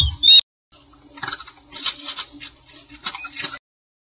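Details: Two newborn red panda cubs in a nest box at a zoo give thin, high squeaks and chirps in quick, uneven bursts after an opening knock.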